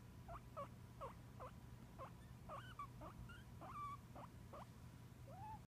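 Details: Talkative pet guinea pig named Hootie giving a series of short squeaky chirps, some rising and falling, about two per second, over a steady low hum.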